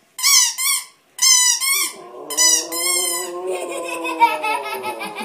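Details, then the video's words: Pet dog howling indoors in response to a squeak toy a young child is playing with; bright, rapid squeaks open the clip, then a long, wavering, mid-pitched howl with rich overtones takes over and rises slightly while faint squeaking continues. "Dog howls at squeak toy"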